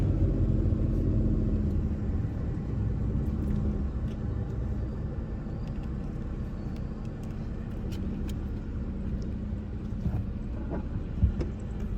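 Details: Loud, steady low rumble of a car engine fills the whole stretch, with faint muffled voices underneath and no animal calls.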